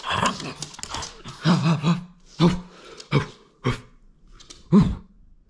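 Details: French Bulldog playing, refusing to give up its toy: short throaty grumbles and growly whines repeated in separate bursts, indoors in a small room.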